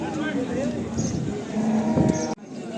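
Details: Cattle at the Chakan bull market on Rohkal Road, Khed, Pune district, on Saturday 3/8/2025: a short, low, droning moo rises out of steady bargaining chatter between men haggling over prices.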